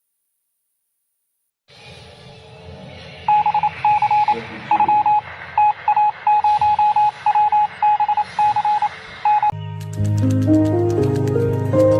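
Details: After a brief silence, a steady electronic beeping pattern repeats over a low hum, then gives way to loud synthesized music.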